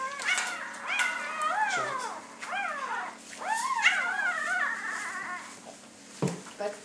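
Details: Newborn red female Labrador Retriever puppy, the last of a litter of eight, just after birth, giving repeated high whining squeals that slide downward in pitch, with a calm person talking softly nearby.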